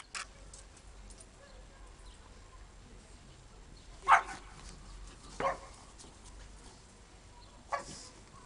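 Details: A pug playing in the snow gives a few short, sharp yipping barks, spaced a second or more apart.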